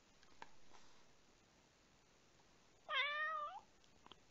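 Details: Rescued domestic house cat indoors in a Japanese home gives a single clear meow lasting under a second, rising then holding level with rich harmonics, set in an otherwise quiet room with a few faint clicks.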